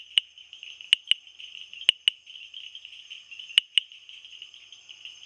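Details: Bombay bush frog (typewriter frog) calling with hard tapping clicks, mostly in close pairs, seven in about five seconds, set against an unbroken high droning chorus.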